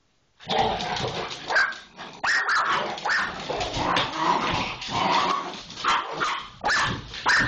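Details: Pit Bull in a tiff with an Irish Jack Russell Terrier, giving continuous loud snarls and sharp barks, with high yelping barks breaking in every second or so throughout.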